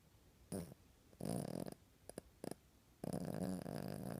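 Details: A sleeping puppy snores beneath the covers in a small room: short rough snorts and brief clicks, then a longer steady rasping snore near the end.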